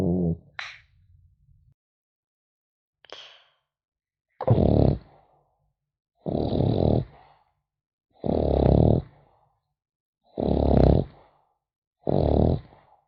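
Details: Sleeping French Bulldog puppy: a few short snuffles and a high squeak at the start, then steady, coarse snores roughly every two seconds, each a grating, low-pitched breath separated by silence.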